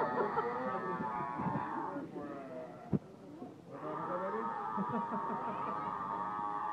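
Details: Yelling seal giving two long, loud, harmonic wails, the first lasting about two seconds and the second running over three seconds, split by a sharp click and a brief quieter gap.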